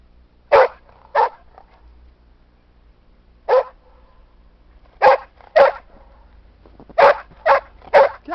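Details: Playing in a snowy park with Skippy the Weagle, Sam the English Springer Spaniel lets out about nine clipped barks, spaced widely at first, then coming faster, roughly every half second, toward the end.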